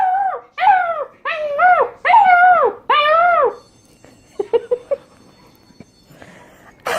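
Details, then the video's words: Puppies learning to howl: four short arched howls, each rising then falling with rich overtones, in quick succession over about three seconds. They give way to a few soft yips and quiet shuffling, then a sudden sharp noise at the end. "Cutest Puppies Learning to Howl"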